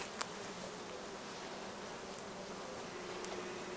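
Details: Many honey bees working acacia and other flowering plants next to the motorway between Cernavoda and Medgidia, Romania; continuous droning hum from the swarm, broken by a few faint clicks.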